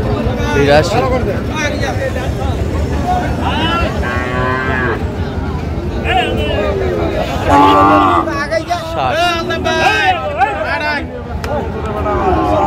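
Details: Sahiwal bull calves at a cattle market near Dhaka, Bangladesh, on 28 February 2025; drawn-out moos rise and fall amid loud crowd chatter and shouted bargaining, with some vehicle noise.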